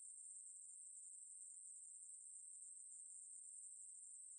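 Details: Steady, unbroken high buzz from a Ruspolia katydid (maebuori), a shrill continuous trill without pauses; nothing else audible.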